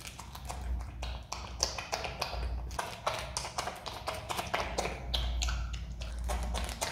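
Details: A pet Himalayan marmot (Marmota himalayana) chews pineapple with quick, wet, crunchy clicks and smacks in an irregular stream.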